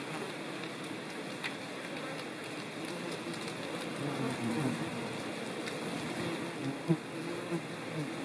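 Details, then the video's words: Ivy bees (Colletes hederae) near their ground burrows in the countryside of central France, Nouvelle-Aquitaine, on 17 September 2018. Low, wavering wing hums overlap and come and go, with faint ticks over a steady background hiss. "COLLÈTE du Lierre/Colletes hederae ! BRUITX"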